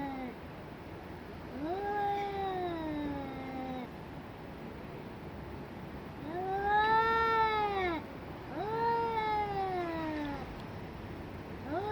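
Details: Domestic cats in an extreme fight, yowling at each other: long wavering tonal howls with rich harmonics, rising then slowly falling, three drawn-out cries over twelve seconds against a steady low background hiss.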